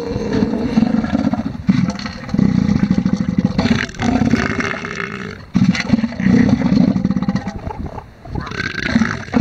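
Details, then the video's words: Male elephant seals competing over a harem at Sea Lion Island in the Falklands give repeated low, rapidly pulsed guttural bursts, four or five bouts with short pauses, loud and close. "ELEPHANT SEALS FIGHT"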